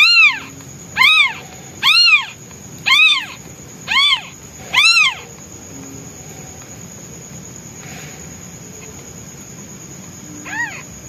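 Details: Newborn white male kitten, hungry and calling for its mother while she is away hunting: six strong arched meows roughly once a second, a long pause, then one faint meow; a constant thin high whine underneath.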